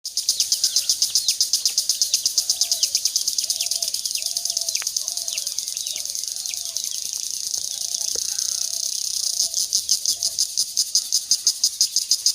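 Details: In daylight in a quiet rural Bangladeshi village, true crickets trill loudly in rapid, evenly spaced high pulses, with soft bird calls far behind.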